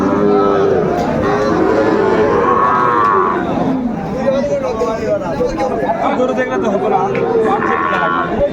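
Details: Sahiwal bull calves in Mymensingh, Bangladesh, on 9 May 2024, as a farmer buys them: drawn-out, low, harmonic moos rise and fall several times, heard under constant overlapping men's voices bargaining and crowd chatter.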